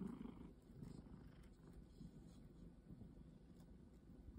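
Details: A cat said to have forgotten its wildness gives a soft, continuous low purr. It is quieter and steadier, with little break between breaths, under a faint background hiss.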